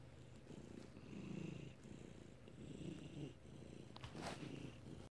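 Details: Felix, a pet cat, purring in May 2019: a steady low rumble that swells and eases in slow waves, with a brief rustle near the end.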